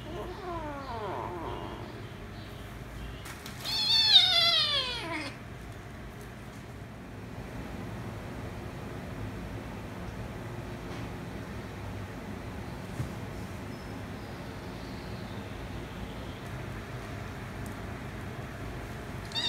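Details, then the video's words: Domestic kitten becoming angry while trying to play with a calico cat, the cats fighting: a few short meows near the start, then a loud, drawn-out falling meow around four seconds, followed by quiet room noise. "Kitten Wants To Play With Calico Cat But Kitten Became Angry & Cats Fighting - Cats Meowing"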